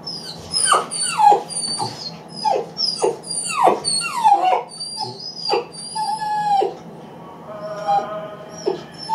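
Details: Eight-week-old Great Dane puppy, lonely after a person leaves the room, cries in loud falling whines and yelps, each sliding down in pitch, repeated roughly every half second to second, with a faint steady hum beneath.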